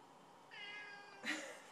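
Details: Domestic cat yelling to be let outside: a long, drawn-out harmonic meow holding steady for about 0.7 seconds, then a shorter, louder, brighter meow right after. The room is otherwise quiet with a faint background hiss.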